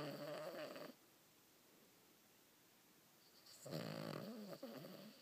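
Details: Oliver, a pet dog, snoring while asleep indoors: two broad rasping breaths about three seconds apart, with near silence between them.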